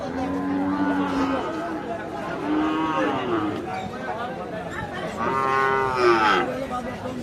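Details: Young Sahiwal calves at Hazratpur cattle market on a riverbank in Bangladesh; several drawn-out, harmonic moos, some wavering and falling, follow one another closely, with people talking in the background.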